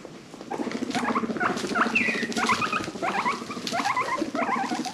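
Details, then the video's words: A herd of five pet guinea pigs chatter in a steady run of short, squeaky calls and soft grunting murmurs. "The sounds of guinea pigs"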